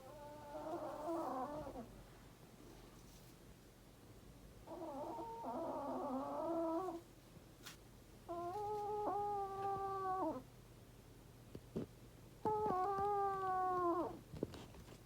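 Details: Elderly Chihuahua named Sara snoring at night, loud enough to wake her owners; four drawn-out, wheezy, whistling nasal snores, each about two seconds long and spaced roughly four seconds apart, the later ones more tonal, in a quiet room.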